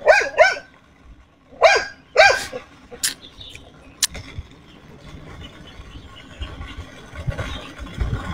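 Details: Pet dog Xiao Mi, said to be happy with today's weather, barks in two quick pairs of harmonic barks with a pause between them, followed by sharp clicks and quieter background noise.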